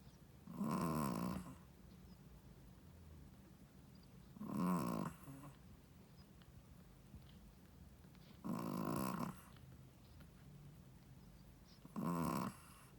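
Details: First-time mother Shih Tzu asleep, snoring steadily: four rough, rasping snores, each under a second, every three to four seconds, with a hushed room between them.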